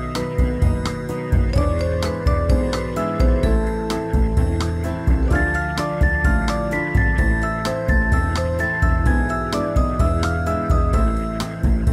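Tinkling, jingly instrumental music with steady beats plays throughout, with no animal sounds.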